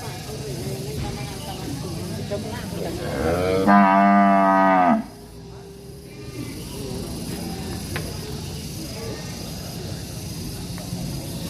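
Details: Angry cow in a village setting giving one loud, steady, harmonic moo of about a second, standing out against a constant low rumble of background noise.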